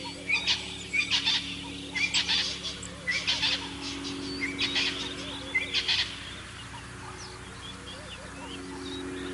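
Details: Dwarf mongoose at Naledi Cat-EYE in Africa, filmed by a live cam on 24 February 2023, gives quick bursts of high, thin chirps and peeps over a steady low hum.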